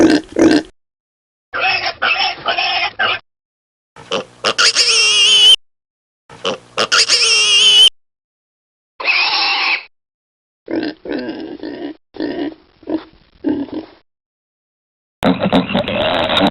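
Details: Piglets suckling, heard as broken bursts of oinks and high squeals separated by brief silences, with a louder rising squeal near the middle and a final noisy burst.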